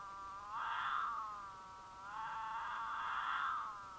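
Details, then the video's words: Courting mountain lion pair in Utah, the female in heat giving loud caterwauls to attract the male, recorded by a camera on their path; two long wavering, moaning yowls, swelling and fading, the second lasting about two seconds. "The Unforgettable Sound of a Mountain Lion Caterwaul"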